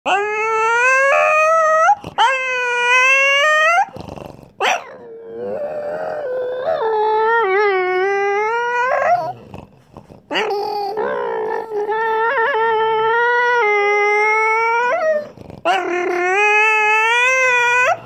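A bulldog gives long, revving, whiny howls that rise and fall like an engine shifting gears.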